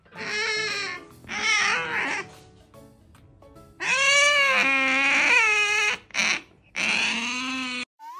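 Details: Pet female otter holding tight to its owner as the owner walks lets out repeated long, wavering, high-pitched whining squeals with strong harmonics, some over a second long, separated by brief pauses.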